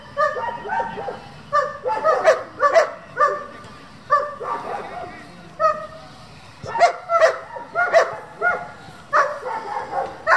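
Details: German Shepherds of a breeding and competition working group barking in uneven bursts, clusters of loud barks separated by short pauses, with human speech heard in the background.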